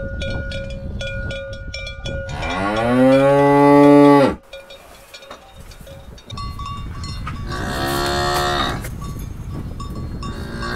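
A cow gives a long, deep moo that rises and falls, then a second moo follows.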